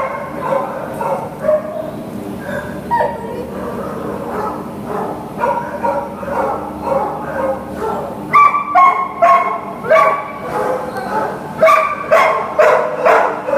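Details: Greater Swiss Mountain Dog named Lily, up for adoption at a shelter, barking and yipping in uneven runs, softer at first then louder sharp barks near the end, over a constant low background drone.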